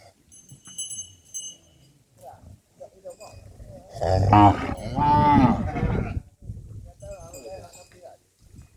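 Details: Cattle herded back to the farm barn: a loud, long moo of about two seconds with rich harmonics dominates the middle, while high metallic bell tinkles ring before and after amid low rumbling background noise.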